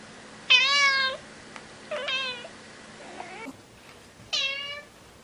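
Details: Kitten meowing: a loud bright meow, a softer drawn-out one, a faint short squeak, then another loud meow, with a low background hum.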